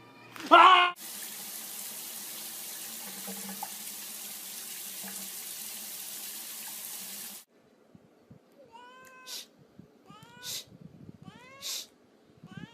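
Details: Domestic cat meowing in a short run of rising-and-falling harmonic calls, about four within three seconds, after a long stretch of running tap water and a sharp thump at the start.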